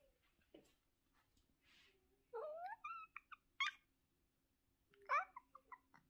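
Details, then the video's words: Domestic cat meowing in the morning: a few short rising and falling mews in quick succession, with brief quiet gaps and faint background noise. "Good meowning in the morning!"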